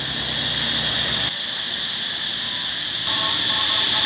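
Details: Cicadas in Vientiane, Laos, heard singing for weeks, drone in a steady, shrill, high buzz that never lets up, with a low rumble early on.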